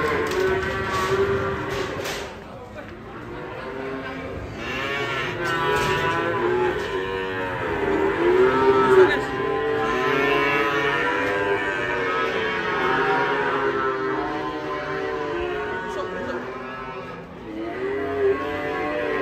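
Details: Fat cattle rampaging and falling into a ditch while coming down from a truck; long, deep moos overlap almost without a break, several bending and wavering in pitch, over a busy background of commotion.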